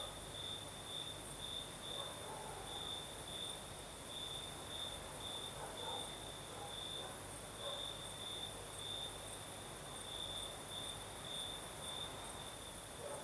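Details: Singing crickets on a breezy southern Crimean night, a steady piercing trill with rhythmic brighter pulses, a hissing high chorus above, and faint scattered mid-pitched sounds in the background.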